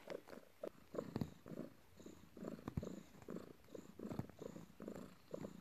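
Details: Domestic cat purring while kneading its owner after work: a steady, low rumbling purr that rises and falls in pulses about twice a second, recorded indoors in a quiet room.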